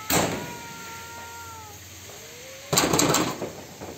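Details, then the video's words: Fighting cats: a short, wavering yowl lasting under two seconds, then a faint rising moan. A burst of loud, rough scuffling noise follows, perhaps from the struggle. "cat fight 😻 cat fighting sound"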